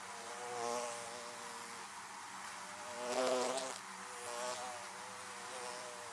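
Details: Honey bees swarming around beehives, a steady layered drone of many wingbeats with harmonic hum, swelling louder as individual bees pass close near the one- and three-second marks.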